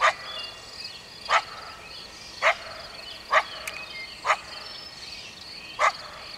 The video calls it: coyote barking